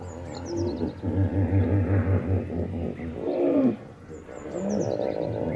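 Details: Deep hippopotamus bellow: low, regular throbbing pulses about five per second. A louder wheezy honk follows, then a second rumbling bout. Small birds whistle descending notes in the background.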